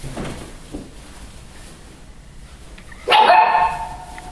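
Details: Pedigree Siberian Husky puppies, eight weeks old, born 21 January 2013 at the Of Arctic Glance kennel in Lot-et-Garonne, filmed 18 March 2013. A quiet room, then one sudden loud harmonic yelp near the end, bright and slightly wavering.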